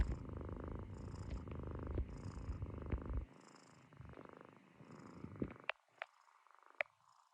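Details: Sleeping Munchkin kitten lying on a person's stomach, snoring in a dense, throaty rumble for about three seconds, then quieter, thinner breathing with a few sharp clicks and rustles.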